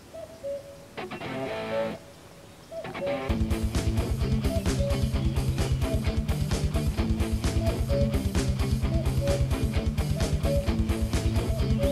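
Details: Guitar-driven music plays throughout, quiet plucked notes at first and then steady loud strummed and bass beats, with no animal voice heard.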